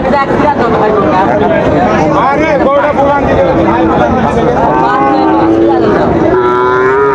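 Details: Sahiwal bull calves at Raniganj cattle market in Dinajpur, Bangladesh, on 9 September 2024: drawn-out lowing moos, some wavering in pitch, over constant crowd chatter and bargaining voices.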